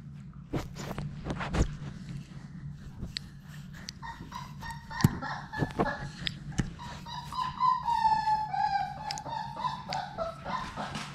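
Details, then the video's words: Six young Labrador Retriever puppies at play in an indoor play room; a drawn-out, wavering high whine with a few yelps rises and falls through the second half, over clicks of paws and scuffling against a constant low hum. "Labrador puppies at play!"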